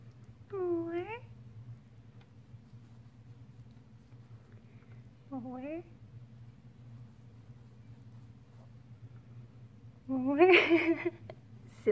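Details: Baby female Chihuahua, a recovered shelter rescue from Fort Worth, Texas, begging for more belly rubs indoors: three separate rising, yodel-like whines spaced several seconds apart, the last louder and harsher, over quiet room hum.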